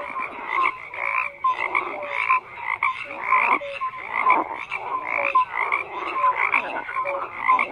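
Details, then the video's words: Frogs croaking in a crowded chorus: raspy bursts come in quick clusters every second or so, mixed with short whistle-like tones, the loudness rising and falling. "FROGS CROAKING"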